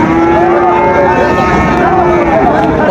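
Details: Sahiwal bull calf at the Raniganj cattle market on 5 September 2024: a steady, drawn-out low moo with rich overtones, wavering slightly, lasting most of three seconds over a constant hum of crowd and market noise.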